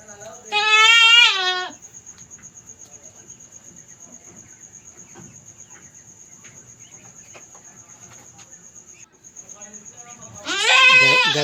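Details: Domestic goat kept in a backyard pen, giving birth for the first time at night: two loud, wavering, strongly harmonic bleats, one near the start and one at the end, separated by quiet with a steady high insect whine throughout.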